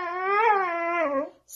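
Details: Dramatic Siberian Husky indoors producing one sustained, rich harmonic whine that swells slightly then holds steady and fades, with a brief hiss afterwards.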